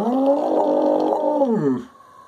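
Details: A 9-year-old Samoyed mix in Lancaster Township (West), Pennsylvania, gives a long, steady, mournful howl that slides downward at the end as it sings along with police and fire sirens.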